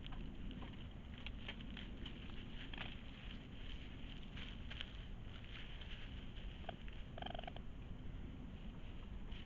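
A raccoon makes a steady, low, purring churr that rumbles on without pause. Near the end a short, nasal whine rises briefly above the rumble, with faint scratchy clicks scattered throughout.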